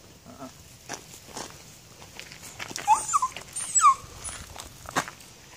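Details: Several brief, high, squeaky whimpers come in a cluster from a Patterdale Terrier working a nosework search for two kids, over faint rustling and clicks.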